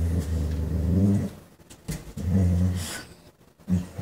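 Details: German Shorthaired Pointer spotting a chipmunk, the first real sighting this year; low, droning whine-growls in a long opening burst, a short pause, then a second burst and a brief final grumble.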